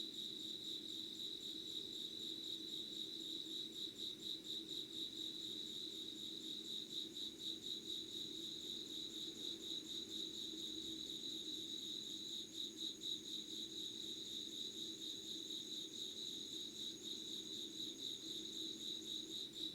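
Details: Late-summer insect chorus recorded at 5 a.m., 25 August 2019, in Yugawara town, Kanagawa, Japan: rapid high pulsing chirps run throughout, joined by a thin, even higher sustained trill from about seven seconds on, with soft low hum beneath.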